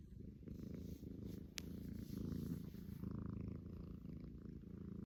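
A Persian cat snores with a low, rumbling, rhythmic breathing sound.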